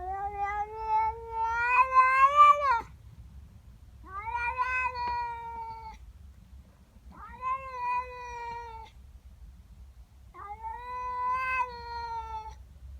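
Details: Indoor female cat protesting a neighbour cat in her garden, morning: four long yowls about two seconds each, spaced roughly every three seconds, the first swelling and rising before breaking off, later ones level and wavering; faint low hum throughout.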